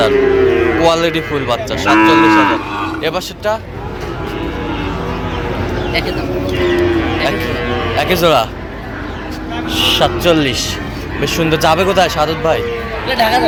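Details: Young Sahiwal bull calves for sale at a Bangladeshi cattle market bought by a Dhaka farmer, 22 September 2025: several drawn-out harmonic moos come and go over thirteen seconds, amid constant talking and bustle.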